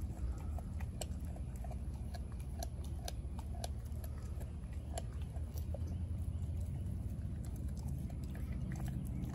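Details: Chewing by Denali, a four-month-old female American Blue Bay Shepherd puppy, on her raw turkey neck: rapid, uneven bone-crunching snaps and wet mastication repeated several times a second against a low background hum.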